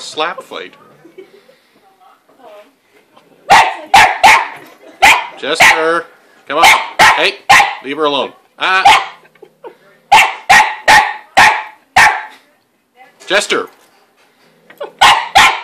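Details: {'caption': 'Chester the dog harasses Lizzie, a cat in her play house who bats back with her paw; bursts of rapid, sharp barks repeat in clusters, interspersed with short whiny yelps and a person talking.'}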